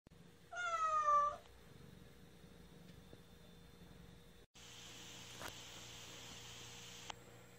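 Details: Cat named 냉이 (Naengi) meowing loudly while defecating: one drawn-out, falling meow under a second long near the start, followed by low room hum and a burst of rustling hiss.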